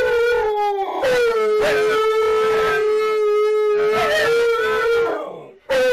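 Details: Three Siberian Huskies howling together as a group: long, steady, mid-pitched tones held for several seconds with overlapping voices, brief breaks, then a fresh howl starting at the end.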